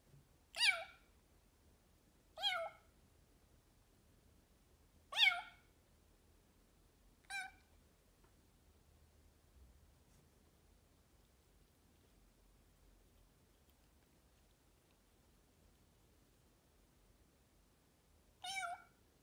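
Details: Bengal cat, described as quite noisy, meowing: four sharp, bright meows spaced about two seconds apart, a long quiet gap, then one more meow near the end, over faint low background hum.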